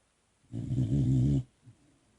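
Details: Boxer puppy, sleepy, snoring indoors: one loud, low, rumbling snore of about one second with a steady buzzing tone, then quiet.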